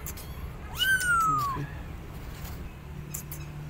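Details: Abandoned kitten on a gate calling loudly for its mother cat; a single long, high, slightly falling meow lasting under a second, then low background hum and faint clicks.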